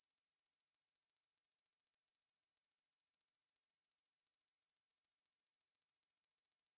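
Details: High, sizzling trill of a Ruspolia lineosa conehead katydid, recorded in 2020 by the National Institute of Biological Resources: dense fast pulses held at constant pitch, one short break midway, no other sounds.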